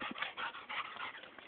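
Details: Rosie, a pet dog eager to play fetch with a tennis ball during a backyard barbecue, gives high, wavering whimpering whines in short bursts, each breaking off and starting again several times within a second and a half.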